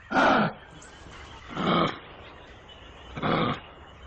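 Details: Tiger roaring: three hoarse, broadband roars, each about half a second long, spaced roughly one and a half seconds apart over a low background hiss.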